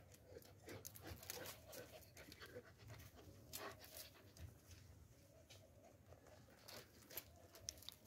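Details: German Shepherd panting, quick breathy bursts repeating several times a second, some louder huffs among them, against a soft steady background hiss.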